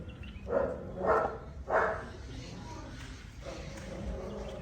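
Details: Tibetan Mastiff puppies letting out three rough barks spaced about half a second apart, followed by a low murmuring background and a faint thump.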